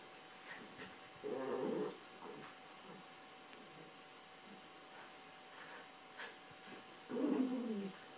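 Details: Yorkshire Terriers Carla and Paco tussling over toys on a bed. Two separate rough, throaty growls, each lasting under a second, stand out several seconds apart against near silence.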